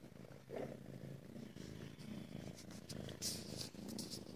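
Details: Female Ragdoll kitten purring at home in a central Kansas cattery, a steady low rumbling purr throughout with soft pulsing, brief rustles and small clicks over it, indoors in a small room.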